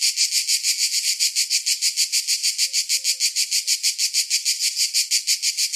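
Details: Summertime cicadas: strong, regular buzzy pulses at roughly three per second, high and harsh, with a few quiet low whistle-like notes faintly heard midway.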